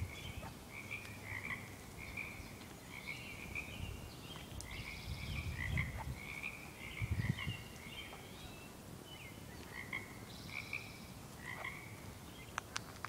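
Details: Frogs calling in a chorus: many short trilled croaks overlapping at a steady mid-high pitch, repeated every second or so, with a low rumble of background noise.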